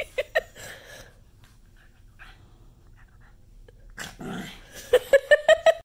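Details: Angry pug reacting to an obscene gesture: a pair of short yaps at the start, breathy snorting and huffing, then a rapid run of five sharp, high barks near the end.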